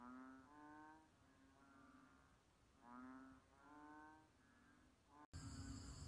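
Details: Banded bullfrog moans: a run of low, nasal, harmonic calls, each about a second long, following one another with some overlap. Steady background hiss sits beneath them, and the recording cuts sharply to louder noise near the end.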